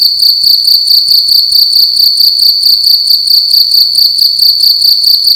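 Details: At night in a room, a single cricket gives a loud, piercing, pulsing trill, rapid chirps blending into one steady high ring, with soft ticking noises underneath.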